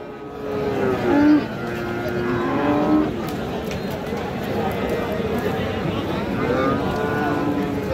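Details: Cattle at the Raniganj haat livestock market in Dinajpur, Bangladesh, on Thursday 31 July 2025, where Friesian and crossbred bull calves are sold. Drawn-out, low, steady moos rise over constant crowd chatter and a background vehicle hum.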